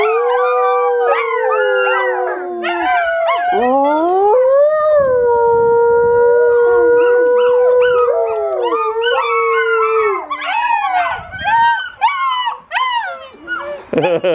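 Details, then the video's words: Volga Wolfhound puppies, 55 days old, singing together around feeding time: overlapping wavering howls and yips, sliding up and down in pitch, one long steady howl in the middle, then broken yelps fading out. "Singing VW Puppies"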